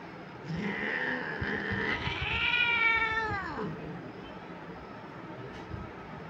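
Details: Persian cat during mating, calling with a long, drawn-out yowl that swells, wavers and bends upward before dropping abruptly after about three seconds, with some shuffling noise around it.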